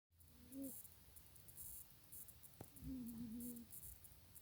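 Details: Janet the cat, asleep and snoring: two soft whistling snores, one short at half a second and a longer wavering one near three seconds, over a quiet room with faint high rhythmic ticking.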